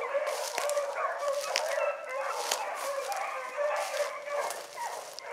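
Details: Hound pups on a rabbit chase one morning give a continuous pack chorus: long ringing bays overlap sharper yelping cries, several voices at once with no pause.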